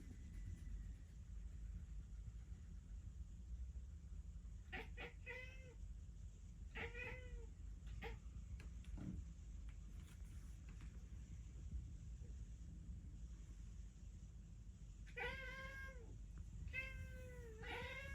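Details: Cat calling its pigeon friends: short, harmonic-rich meows that arch up then fall. They come in small clusters, a few near the start and a pair later on, over a steady low rumble.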